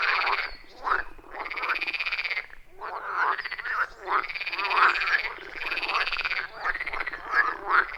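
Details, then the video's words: Loud, rhythmic frog chorus beside a wild forest pond, recorded on iPhone 14 Pro with Shure MV88+; pulsing croaks come in surges a second or two long, separated by short near-silent gaps. "30 Minutes of Frog Sounds at a Forest Pond"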